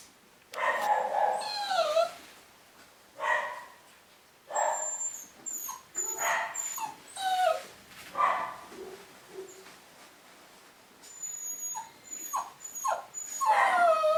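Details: New litter of Cavapoo puppies at a UK breeder in 2015, whimpering and yelping: a steady run of short, wavering, whiny cries, some rising then falling, with high thin squeaks between them.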